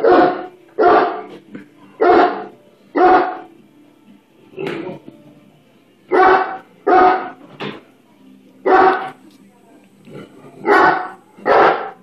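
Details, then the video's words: Great Dane, a 135 lb female pet dog, afraid of a bubble blower stick, barking in loud deep bursts, often in pairs, spaced one to two seconds apart, with quieter gaps and faint voices between. "My 135lb Great Dane afraid of bubble blower stick"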